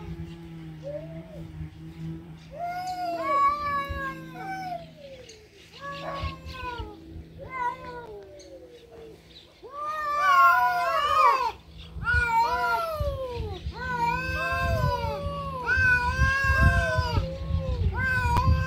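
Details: Domestic cats fighting: a run of drawn-out, wavering yowls and caterwauls, rising and falling, growing louder and denser toward the end, with overlapping howls and a low steady hum beneath.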